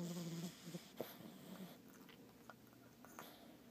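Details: A French bulldog puppy only a couple of months old snores with low, rumbling breaths and soft snorts.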